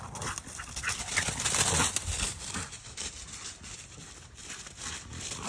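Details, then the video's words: Two dogs, a Doberman and a boxer/bulldog mix, playing and burning off energy; heavy panting and rough scuffling form a dense, noisy hiss with uneven bursts, loudest around the middle, no clear barks. "burning off some energy"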